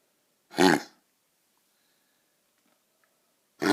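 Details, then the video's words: A Golden Retriever puppy gives harsh, honking kennel-cough coughs on the first night of catching it from a neighbour's dog. "Kennel cough on my Golden Retriever"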